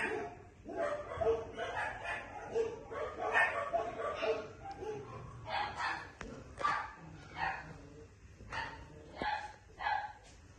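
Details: Young female Maltipoo yapping repeatedly, its short shrill barks coming roughly every two seconds at an irregular pace, with faint background noise between the calls.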